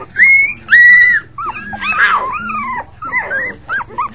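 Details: Five puppies, among them Patches, Chunk, Pipa Squeak and Blaze, giving two loud, high drawn-out whines followed by a run of shorter rising and falling yelps and squeaks from several pups at once.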